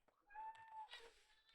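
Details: A single drawn-out, steady high mew from the rescued red tabby and white kitten Miel, indoors in the kitten room, followed by soft rustling.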